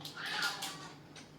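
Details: A cat gives one short, bright meow indoors, lasting under a second and fading into a quiet room hum.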